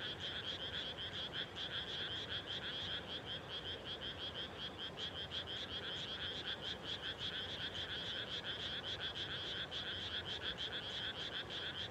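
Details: A dense frog chorus of rapid, rattling croaks pulsing steadily and overlapping without pause, at dusk just after rice planting in the Japanese countryside, late May.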